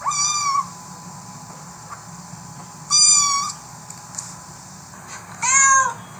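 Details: Cat or kitten meowing three times, bright harmonic mews about half a second long, spaced roughly two and a half seconds apart, the last one rising then falling, over faint hiss.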